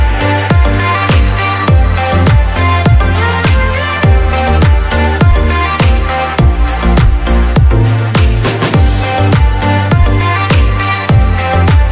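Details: Loud rhythmic electronic music with a heavy beat plays throughout, and no animal sound comes through.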